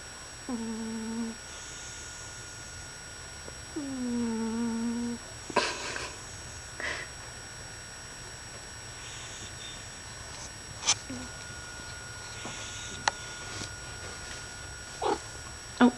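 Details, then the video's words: Pet cat named Loki, female, napping indoors; two drawn-out, steady, nasal tonal snores, the second slightly rising at its start, followed by a quiet room with scattered clicks and handling noises. "Snoring Cat's Adorable Wake Up"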